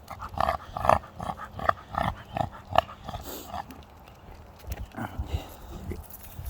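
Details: American Pit Bull Terrier said to sound like a pig, making quick, snorting, squeal-like grunts in an uneven series over the first three seconds, then quieter rough breaths and faint voices.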